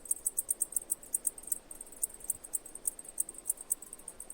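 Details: High, sharp cicada chirps at an uneven pace, about four per second, with short gaps and irregular spacing between clicks; background otherwise calm with low hiss.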